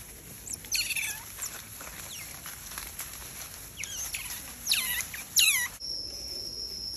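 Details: Young smooth-coated otters chirp in high, ringing calls that each slide downward, arriving in irregular clusters of two or three. A soft hiss runs underneath, and the sound cuts off abruptly near the end.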